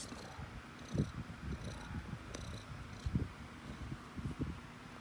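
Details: Domestic cat purring close up: a steady low rumble of soft pulses with a few louder throbs near the one, three and four-second marks, over faint background hiss.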